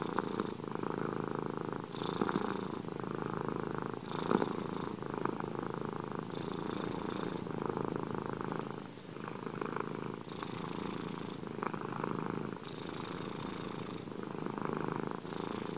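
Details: Purring domestic cats captured for ASMR indoors; continuous low rumbling purr with rhythmic breath cycles roughly every one to two seconds, some breathy hiss on certain phases.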